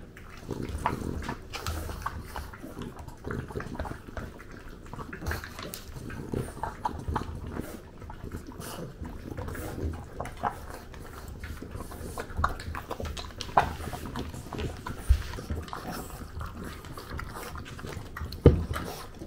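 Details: French bulldog in Japan chewing its breakfast indoors, recorded with a DJI Pocket 2; soft, uneven munching and crunching with occasional sharper clicks of bites, low rumbling snuffles underneath.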